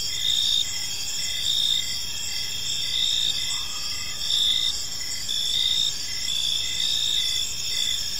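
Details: Crickets chirping on an evening in a peaceful park: a dense chorus of high, shrill pulsing trills layered in several bands, with a regular dashed chirp repeating roughly every second, over a steady low background hum.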